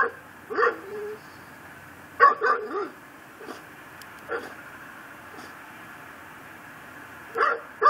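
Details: Pit bull kept tied to a yard post in Chalmette, Louisiana, heard around midnight on December 24, 2012: scattered single barks and a short cluster of three, with long quiet stretches between.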